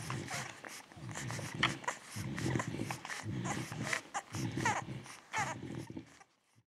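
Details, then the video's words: Two-week-old beagle puppies from a litter born 19 February 2016, making rapid squeaky whimpers and soft yelps in overlapping bursts over a steady low grumbling murmur, the noises fading out near the end. "Szczeniaki beagle w wieku 2 tygodni / beagle puppies two weeks old"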